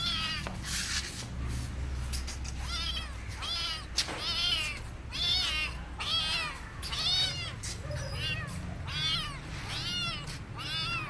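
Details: A hungry stray kitten, burnt and wounded, taken in after being found searching for food: insistent, high, bent meows repeated about once a second, each sliding up then down, with low background hum.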